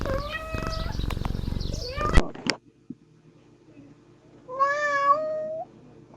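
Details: Kittens at play give a few meows; a long wavering meow over rumbling handling noise, a sharp knock, then quiet before one clear, slightly rising meow near the end.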